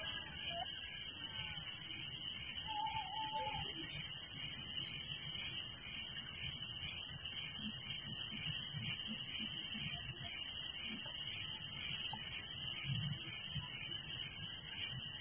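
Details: Village night ambience of crickets, a constant rhythmic high-pitched trilling chorus, joined early by a brief faint whistled note, otherwise steady and uninterrupted.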